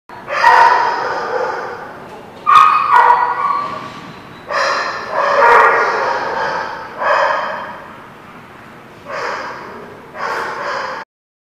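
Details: Dogs barking, recorded April 21, 2017: loud, rough, full-bodied barks, some in quick doubled bursts, with about six bark bouts over eleven seconds separated by short pauses, and no other clear sounds.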